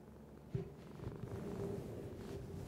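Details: House cat purring in a low, even rumble, with a brief soft knock near the start and slight rustling over the steady purr.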